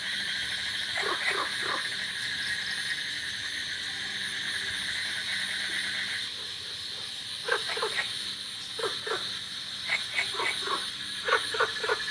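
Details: In a village in the rainy season, golden frogs and cola frogs croak in short, rough bursts of pulses over a steady, high ringing of crickets.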